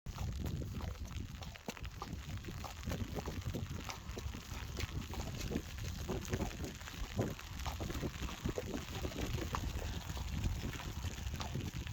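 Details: Quiet outdoor rustling and low wind rumble fill a cold early-November day as horses are brought in, with scattered soft knocks and no clear animal calls.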